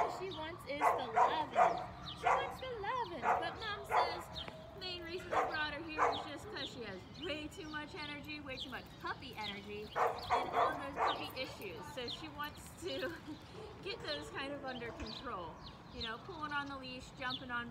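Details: Frankie, a five-month-old Mini Goldendoodle puppy brought to training in Cincinnati, Ohio, for too much energy, gives sharp barks scattered through the stretch, some in quick pairs, while people talk over and between them.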